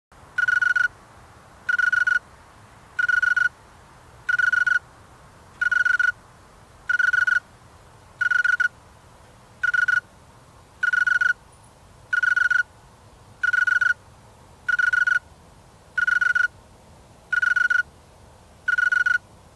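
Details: A male snowy tree cricket, sounding with its wings, gives steady, evenly spaced trilled chirps, roughly one every second and a bit.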